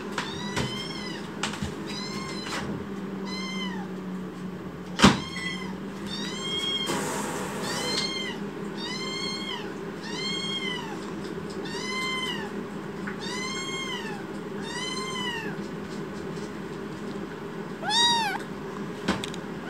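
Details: Rescue kitten in foster care, broad-foreheaded and angry, meows insistently in protest: about a dozen short, bowed mews in quick succession, one sharp knock midway and a brief rustle, steady low indoor hum beneath.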